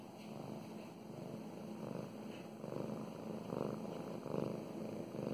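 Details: Female pet cat Mow Mows purring as she gets petted; rhythmic low rumbling purr pulsing about once per second, swelling louder in the second half, with soft brushing sounds of fur being stroked.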